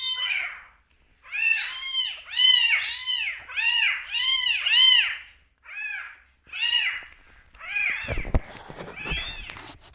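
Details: Two rescue kittens (domestic cat) meowing loudly during bottle feeding, craving milk and attention: a rapid run of about ten high, arching meows, then a few spaced calls, with handling clatter near the end.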